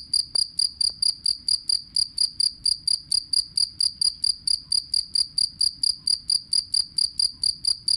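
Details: Loud jangkrik kalung cricket, played to train singing birds; crisp high chirps repeated very regularly, about two per second, each pure-toned with a weaker upper band, over a quiet background.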